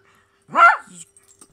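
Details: Pet poodle giving a single short, sharp bark indoors, with a soft trailing grunt after it and a person talking to the dog nearby.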